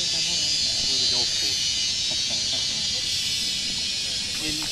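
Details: Insects giving mating calls, females calling males, on the mountain at Wat Phrathat Doi Suthep, Chiang Mai, northern Thailand: a loud, continuous high buzzing drone that fills the air, with a man talking faintly beneath it.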